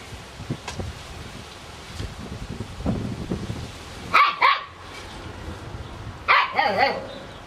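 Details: Seven-week-old Kicsi x Sunny puppies barking in two sharp high-pitched bursts, one near the middle and one near the end, with rustling and handling noise between them.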